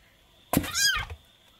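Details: A 20-day-old kitten gives one short, loud meow that rises and falls in pitch, starting with a brief thump, against a quiet room with a faint steady whine.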